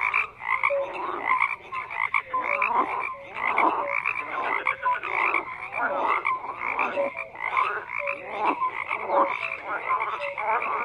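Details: A dense gathering of croaking frogs, their harsh pulsed calls mixed with short tonal notes, the chorus rising and falling roughly every second.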